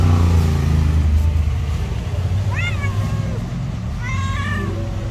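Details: Jealous, angry white she-cat living on the street: two short rising-then-falling meows about one and a half seconds apart in the second half, heard over loud passing-car rumble.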